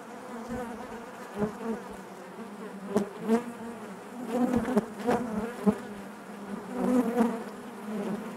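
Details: Honey bees buzzing inside their hive: a steady drone around a low fundamental with stacked harmonics, swelling and fading as individual bees pass close, with a few sharp clicks and knocks against the comb.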